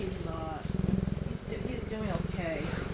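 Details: Young male cheetah, called laid-back and going through the terrible twos, purring close by: a steady, rapid, low pulsed rumble that breaks off briefly and starts again, while a man talks over it.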